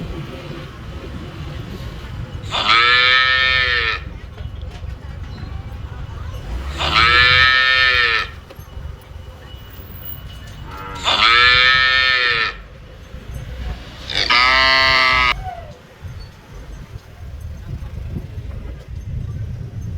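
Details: A cow in Phnom Penh, Cambodia, gives four long, harmonically rich moos, spaced a few seconds apart.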